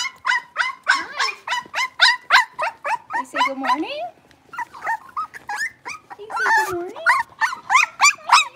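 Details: Blenheim Cavalier King Charles Spaniel puppies, six weeks old, from a litter of five in a home puppy pen; quick run of sharp, high yelps mixed with lower drawn-out whimpers and a few wavering whines.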